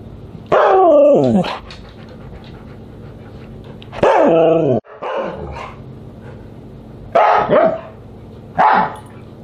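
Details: Siberian Husky vocalising at dinner, July 24, 2022: four loud, harmonic, downward-sliding howl-like calls, two long and two shorter, spaced a few seconds apart over a steady low hum.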